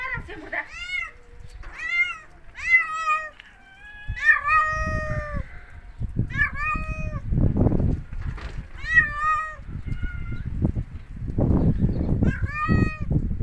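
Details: Domestic cat outdoors in a snowy winter natural setting, meowing persistently: a run of about ten short, bright, rising-falling meows, several in quick pairs, mixed with low rumbling and crunching noises in the background.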